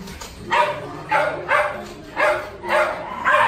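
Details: Dogs at a dog café in Daegu, South Korea, during a nosework scent game. Short, sharp barks come about every half second, some doubled. Faint background murmur runs underneath.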